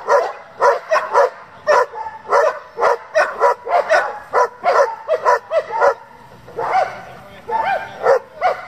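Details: Working German Shepherd barking in bursts of short, punchy barks at an uneven pace, then falling quieter near the end as a human voice and softer barks mix in.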